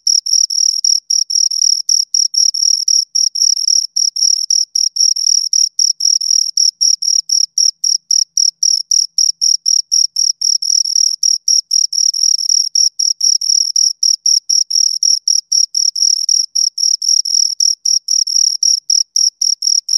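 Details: Two crickets heard close, an unbroken series of shrill trilled chirps at about four per second, sharp and metallic in tone, with no other noise.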